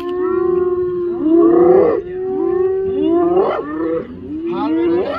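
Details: Spotted hyenas in the Masai Mara, Kenya, in June, mobbing a lone male lion beside safari jeeps; long sustained tonal calls that swoop upward at their ends repeat about every one and a half seconds, with overlapping voices.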